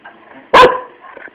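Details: Single short sharp dog bark, loud and harmonic, rising out of a quiet background with faint hum; a brief isolated yap.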